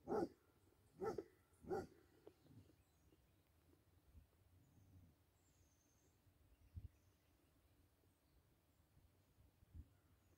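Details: A Basset Hound at play with a deer lets out three quick, hoarse barks in the first two seconds, then only faint rustles and thuds follow.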